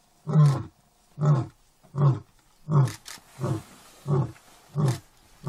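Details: Deep grunting roars of a lion in an African national park, seven short, powerful bursts in steady succession, roughly one every three-quarters of a second, low and resonant with little background noise.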